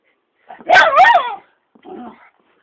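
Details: Pet dog, said to be jealous of a muppet, gives a loud, yelping double bark with wavering pitch, then a shorter, softer whine after a brief pause; otherwise quiet.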